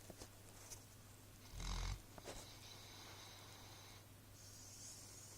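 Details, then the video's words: Pig snoring, recorded in March 2014: one short, deep, rough snorting breath of about half a second, over a steady electrical hum and a few faint clicks and rustles. "Snoring Pig."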